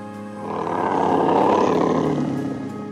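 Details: Tiger; roar; asserting dominance and communicating with potential mates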